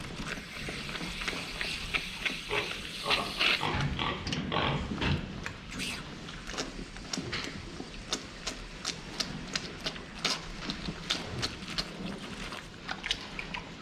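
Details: Pigs drinking water, filmed from the front: short low grunts and oinks around the middle amid rapid wet clicking and slurping from the drinker, with sharp metallic ticks continuing throughout.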